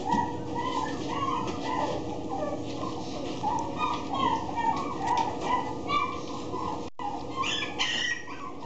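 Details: Golden Retriever whining: thin, tonal whimpers that bend up and down in pitch, strung together in rapid succession. There is a short break near the end, followed by a few rougher, noisier sounds.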